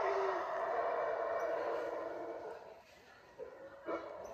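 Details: Unseen howler monkeys high in the canopy above the Mayan ruins of Yaxhá in Guatemala give a sustained, grinding roar. It holds steady, then fades to quiet before two short, sharp bursts near the end.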